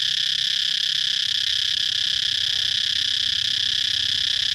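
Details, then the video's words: Continuous high, hissing buzz from a cicada, level and unchanging throughout, a thick band of shrill sound with no breaks and nothing else standing out. "cicada chirping sound"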